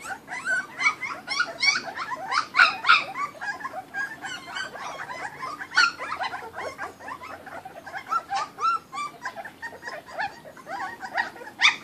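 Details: Kuvasz puppies from a 2013 litter, several together, eating raw food; a dense, busy mix of high whining squeals and short rough grumbles overlapping continuously, several calls per second, with harsh noisy bursts between.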